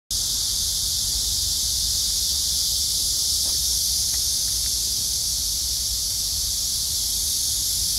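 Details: Cicadas singing on a bright August summer day under blue sky after heavy downpours: a dense, steady high-pitched hiss-like buzz that does not let up, with a low background rumble.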